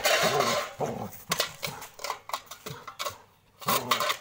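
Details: Labrador Retriever named Gabbar, described as getting angry, giving short low harmonic woofs in uneven bursts about every half second, with a brief pause before a final loud pair, over clattering sounds like dishes and cutlery.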